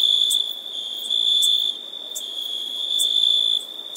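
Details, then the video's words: A single insect sings an unbroken, shrill, even-pitched trill, loud for the first two seconds, then softer, then louder again, with occasional short ticks. "Insect - Sounds Effect"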